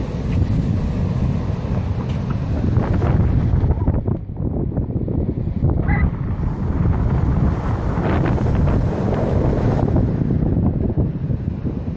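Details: Strong wind buffeting the microphone over rushing water and boat noise, with no animal voice present.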